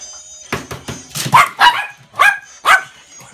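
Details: Younger male toy poodle indoors in July 2016, thrilled about eggs, which it loves, and excited when they are taken from the fridge or cracked. Six short, sharp yapping barks come in quick bursts, with a woman speaking softly around them.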